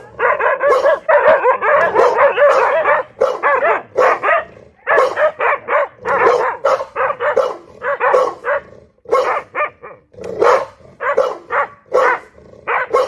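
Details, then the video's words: A dog barking loudly in a dense, rapid run of harsh, ringing barks, often in quick doubles and triples with brief gaps, roughly two dozen barks over thirteen seconds; no other sounds stand out. "DOG BARKING LOUDLY"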